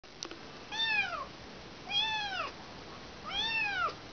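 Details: Kitten that has lost its mother, calling with three high arched meows, each rising then falling in pitch, spaced about a second and a half apart, with a faint click near the start.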